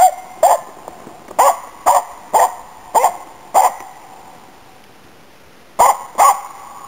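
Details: Autumn 2010 hunting barks of Nella, a Finnish Spitz helping hunt waterfowl and game birds in Inari: clear, high, ringing barks repeated roughly every half second, then a silent gap before a final pair.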